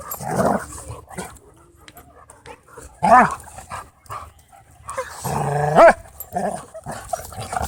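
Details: Playful dogs at a dog park: a low rumbling growl opens, followed by two sharper harmonic bark-like outbursts, spaced a few seconds apart.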